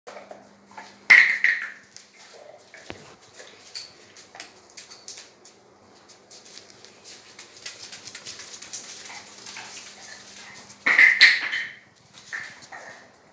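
A Basset Hound gives two loud, abrupt barks about ten seconds apart, with quiet indoor clatter between.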